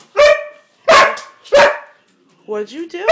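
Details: Siberian Husky indoors complaining because it is not allowed on the bed: three loud, harmonic, whining yowls about two-thirds of a second apart, then a person speaking over a softer vocal sound at the end.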